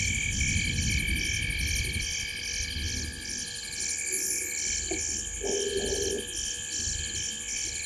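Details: Tree-sitting frogs at the corner of Gowrie dam, Djuma Game Reserve, Sabi Sand Wildtuin, South Africa, recorded by a live camera at 19:33 on 5 July 2023. Rhythmic pulsed high calls overlap steadily, with a brief lower burst near the end and low rumble beneath.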